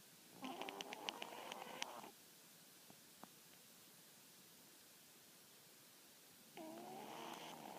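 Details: Maaru, a snoring dog, lets out two drawn-out raspy, buzzy snore breaths, the first about two seconds long and the second starting near the end, with near silence between them.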